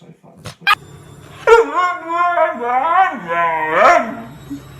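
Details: Domestic dog arguing back at its owner with a long, wavering, howl-like vocal that rises and falls in pitch. Human speech and a few sharp clicks are mixed in.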